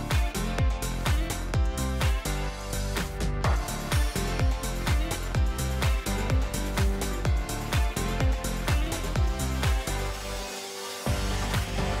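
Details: Energetic electronic pop music with a thumping steady beat plays without a break, and no animal sound is heard.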